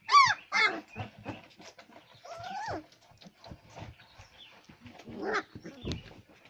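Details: Labrador retriever puppies whimpering: two sharp high yelping cries open, then a longer whine that rises and falls, followed by softer scattered whimpers and faint rustling.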